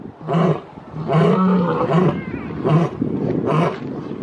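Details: Lion roar, a territorial call: clipped, deep grunts in quick succession, some stretched into a longer rumbling note, four or five heavy pulses within a few seconds.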